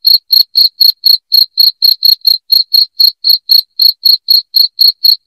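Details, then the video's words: Shrill cricket chirps, used as a rat-repelling sound for the house, ring out in a tight, even series of about four pulses a second against complete quiet. "SUARA JANGKRIK NYARING"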